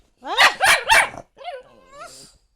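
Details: Male Italian Greyhound vocalising in reply as his owner asks whether he wants to go out: three loud, wavering, whining yowls rising and falling in pitch, then a softer, drawn-out moaning sound trailing off.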